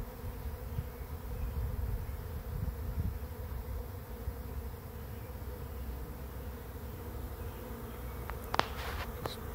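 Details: A swarm of bees arriving at a swarm trap, the fourth swarm caught and the second for this trap: a steady low, dense droning hum throughout, with a few sharp clicks or taps near the end.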